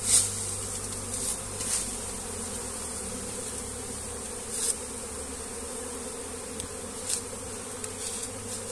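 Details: A honey bee comb being moved by hand, with many bees around: a steady low droning hum throughout, with brief sharp clicks and knocks near the start and around four and seven seconds.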